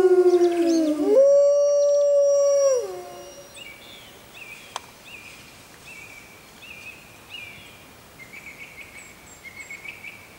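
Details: One of six Arctic wolves in a howling concert: a single long howl, sliding down and then holding steady, fades after about three seconds. Quiet follows, with faint high bird chirps and twitters through the rest.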